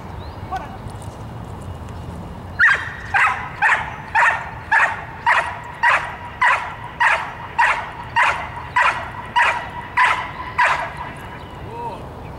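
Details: Dog, 22 months old, on March 30, 2018, working on a hold-and-bark protection training exercise: after two quiet seconds, loud sharp barks start and repeat steadily about every 0.6 seconds, around fourteen in a row, over low background rumble.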